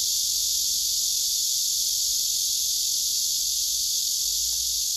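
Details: Cicadas gathered on a tree, a male singing with wings spread and abdomen raised, recorded by phone: an unbroken, even high-pitched buzzing drone filling all five seconds, nothing else clearly heard.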